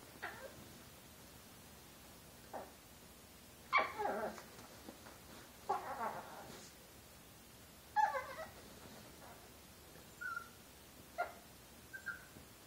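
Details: Chihuahua Josie, just over one year old, pouncing playfully at a hand beneath her bed; irregular short yips and whiny grumbles with a few thin high squeaks, separated by pauses.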